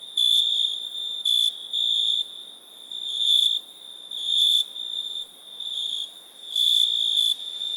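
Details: Cricket trilling in longer, swelling shrill bursts separated by brief pauses, with a faint high hiss and soft background noise.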